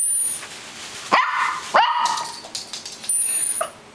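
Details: Two loud, ringing barks from Callie the poodle come close together, followed by softer yips and a high electronic whine in the background.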